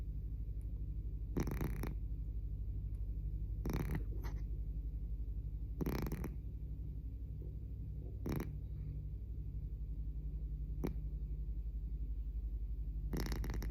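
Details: A sleeping house cat snores so loudly it sounds like a noise complaint: a steady, low rumbling drone with fast pulsing, broken by a few short broadband rustles or clicks, indoors in a small room.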